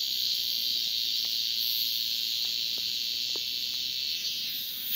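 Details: Male cicada calling to attract a female: an unbroken, high-pitched electric whine that holds level, with only slight wavering in intensity.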